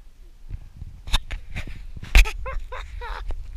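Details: A meerkat gives a quick series of short, squeaky chirps over low rumbling and a couple of sharp knocks while searching a person's beard and ear for scorpions.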